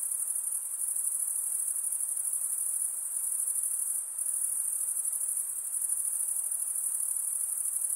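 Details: Night insects calling in a dense, steady chorus: a continuous high, shimmering trill with fine rapid pulsing, unbroken for the whole stretch apart from a brief dip near the middle, with a faint softer hiss lower down.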